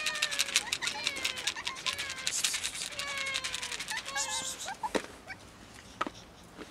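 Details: Numerous cats near a building wait for feeding and petting, meowing insistently; repeated drawn-out meows, several voices overlapping, pitch sliding down at the ends, with rattling and clattering noises behind them.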